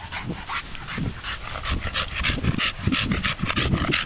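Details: Heavy, slower panting from a red Staffordshire bull terrier tired from his short walk around a field, with deep throaty breaths at roughly a hundred a minute, some grunting low tones mixed in.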